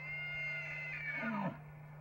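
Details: Bull elk in mating season: a high whistled note sliding steadily downward over about a second and a half into a low rough tone, then stopping abruptly, with a steady low hum underneath.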